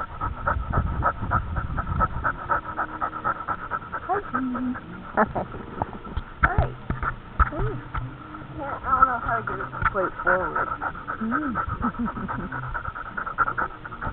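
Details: Dog named Daisy heard through a dog camera, panting steadily with short whimpering, rising-falling tonal cries in the second half, while a human voice talks over a constant low hum.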